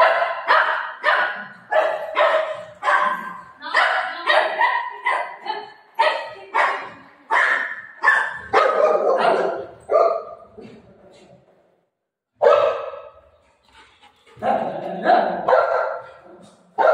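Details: Golden retriever dog playing with its mom, barking in a long excited run of harsh, broadband barks roughly every half second, briefly pausing, then resuming with a few more barks; faint human voices in the background.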